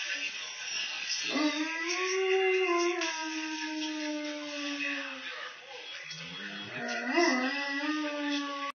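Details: A Dogo Argentino "sings", giving two long, wavering howls that rise, hold, then slide gently downward.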